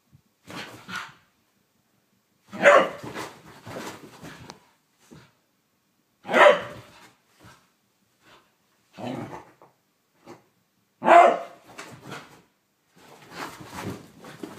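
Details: Whippet named Blu going crazy during a mad five minutes, giving loud single barks every few seconds, with lower growling rumbles and quieter grumbles filling the gaps between them, recorded inside a small room.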